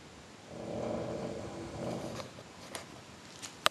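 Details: {'caption': 'Quiet indoor purring by the cat GreatGrandPa, a low rumbling bout lasting under two seconds, followed by a few sharp clicks and a brief knock at the end.'}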